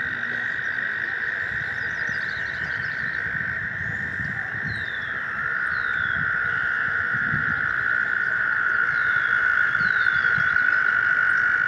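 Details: American toads gathered in a stream in spring give a long, steady, high musical trill that holds unbroken throughout. It is their chorus to find a mate.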